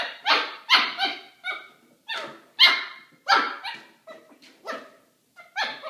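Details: Maltipoo puppy Kramer barking while playing with a milk jug he does not like. Sharp, high yappy barks come in a quick, uneven series of about eight, some doubled, with short pauses between.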